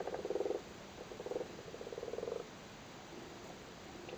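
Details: Male frogs sitting on spawn in a flooded cattle grid in Cork, Ireland, during spawning season, give low pulsed purring croaks: a strong burst, a shorter one, then a longer rattling run, with quieter croaks trailing off.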